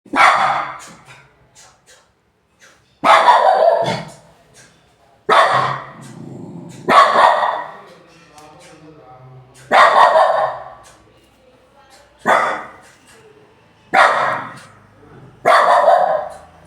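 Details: Pet dog barking loudly: harsh, sharp bursts in an irregular series, about eight barks, spaced one to three seconds apart, each fading quickly into short quiet gaps.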